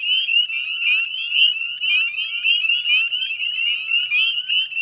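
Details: Spring peeper chorus, northern subspecies, recorded at dusk in mid-May near the Chezzetcook wetlands of Nova Scotia, Canada; many shrill, rising whistled peeps pile together, roughly one prominent peep per second standing out.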